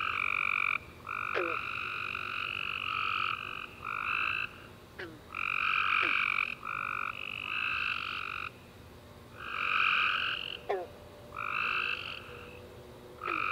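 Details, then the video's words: Tree frogs chorusing at night after a warm rainy summer day: overlapping buzzy, trilled calls with two stacked bands, bursts of about a second starting and stopping, plus a few brief sharp descending chirps. "Tree Frog Chorus After A Warm Rainy Day"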